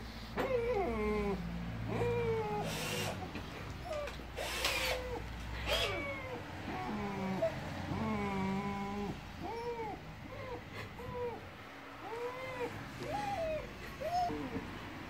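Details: Siberian Husky meeting a new German Shepherd puppy in the family home, seemingly confused; a long run of harmonic, arched whining-howl vocalizations, each rising then falling, repeated roughly every second over a steady low hum.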